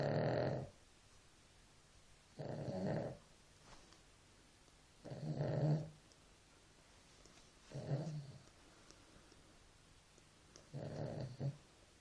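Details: Sleeping dog's snores come in a slow, steady rhythm, five rough, throaty breaths over twelve seconds, each about half a second to a second long, with near silence between them.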